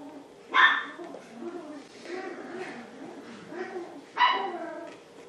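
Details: Young Poodle puppies, seven weeks old, Honey and Emma: two bright, high-pitched yaps about three and a half seconds apart, with softer whines and murmuring sounds in between.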